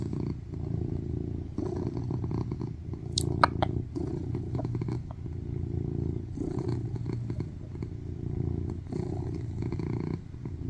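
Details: Affectionate male tuxedo cat lying on a lap, purring loudly: low continuous rumbling with a gentle wavering rhythm, broken by a brief bright clicking noise near the middle and soft rustles.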